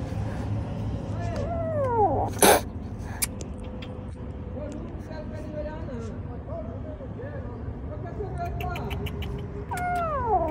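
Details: Angry stray street kitten giving several drawn-out meows that curve down in pitch, in short bursts spread through the clip, over steady low traffic rumble, a sharp knock and some talking.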